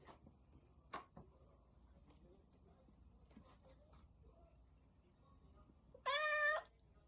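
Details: A domestic cat gives a single short, bright meow near the end, preceded by scattered soft clicks and tapping in a quiet indoor setting.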